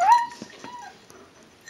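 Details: A dog named Rush, escaping the persistent attacks of another dog, Papa Leo, gives a loud, high whimpering yelp that rises sharply. A few fainter tonal whines and soft knocks follow.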